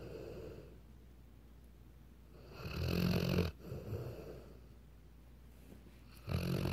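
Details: Snoring Weimaraner, a long rough rattling inhale near three seconds after soft breathing, then quieter snuffles and another loud snore starting at the end.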